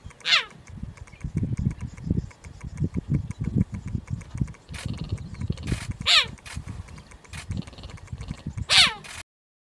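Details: A cheetah in a zoo in India gives three high, bird-like chirps that slide steeply downward, spaced a few seconds apart.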